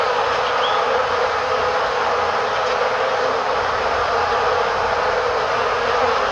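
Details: Korean honey bees flying beside their hive, a camera placed before the entrance; continuous broad buzzing hum with little variation, a brief faint high chirp near the start.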